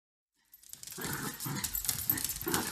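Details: Pet dogs Grace and Button, a cockapoo and a shih tzu, playing together: after half a second of quiet, short rough growling pulses start and come in quick uneven bunches, getting louder toward the end.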